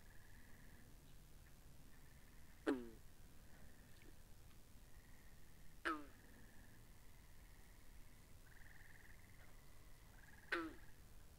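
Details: Binaurally recorded frogs at a pond: three loud, abrupt twanging calls arrive about every three to five seconds, each dropping slightly in pitch, over a soft background chorus of rapid buzzy trills.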